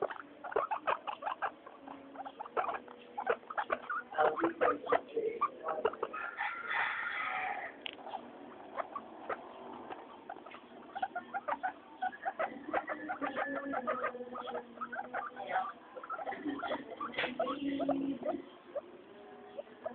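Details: Three guinea pigs, Mayumi, Archie and Miyuki, out for weekly floor time. Rapid clicking chatter is broken by a louder, higher squealing wheek around seven seconds, then more scattered chirps and patter.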